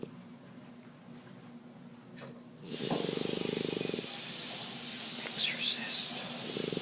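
A French bulldog snores, each breath a low, rattling buzz that swells and fades every few seconds. A broad hiss fills the background, partly masking the quieter stretches between snores.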